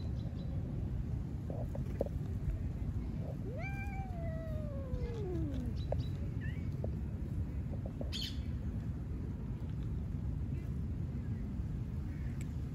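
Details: One-eyed stray cat in Istanbul, Turkey, seeking attention as other street cats eat; one long drawn-out meow sliding steadily downward, then a brief higher chirp-like mew, against constant low urban rumble.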